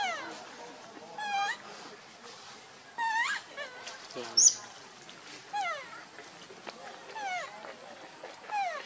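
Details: Hungry baby monkey Lucie crying for milk, foaming at the mouth: spaced bursts of wavering, harmonic-rich wails that slide up and down, with quieter faint sounds between cries.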